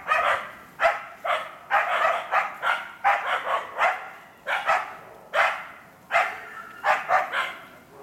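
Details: Working an enclosed wild boar in training for trials, the Karelo-Finnish Laikas Rus-Fin (two years old) and Kaya (eight months) bark steadily. Sharp barks repeat every half second or so, with a few short pauses.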